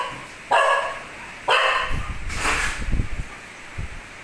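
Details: Nearly two-year-old house dog calling its owner to take out the trash: three loud, harsh barks about a second apart, followed by low rumbling sounds and soft background noise.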